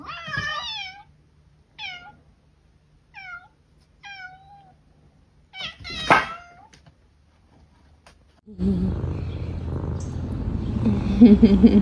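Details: Domestic cat meowing in a series of short rising-then-falling harmonic calls, five in the first five seconds roughly one to two seconds apart, followed by a louder drawn-out wail near six seconds, then background music and noise.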